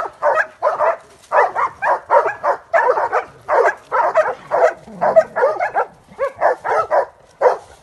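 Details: Transylvanian hound in training on wild boar, giving a steady, rapid run of harsh barks, roughly two to three each second, unbroken for the whole stretch.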